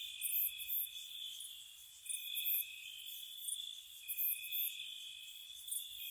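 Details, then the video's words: Gentle spring-night cricket chorus by a cottage: continuous shrill trilling with sharp bright chirp bursts repeating roughly every two seconds, multiple callers layered, faint low background rumble. "Spring Cottage Night Ambience, Nature Sounds for Relaxation & Sleep, Cricket Sounds"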